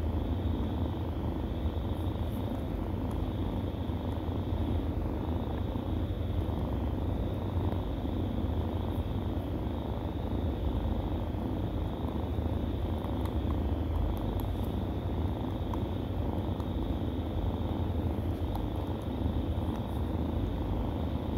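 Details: A long, steady purr from kittens feeding at the teat, deep and droning without pause, occasional light tapping noises on top.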